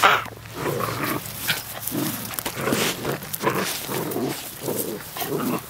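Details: Puppies play fighting outdoors, giving a series of rough, breathy growls and grunts repeated roughly every half second, rising and falling in loudness throughout.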